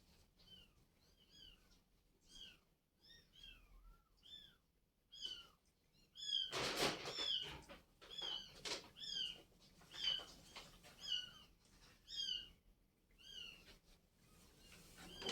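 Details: Mother cat and her relocated kittens; a steady run of piercing, arching mews repeats about twice per second, broken by a sudden loud rustling crash near the middle, then the high cries continue.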